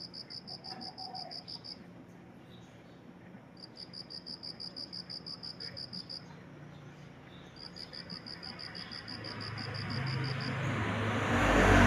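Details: A cricket after rain chirps in long, even trains of rapid high pulses, pausing for a couple of seconds between bursts.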